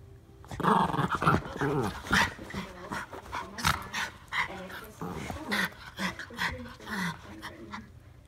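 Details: Ernie and Hank, two Norfolk Terriers, play-wrestling: continuous rough growling, punctuated by harsh snarls and brief yelping bursts that come about every second, at a lively pace throughout.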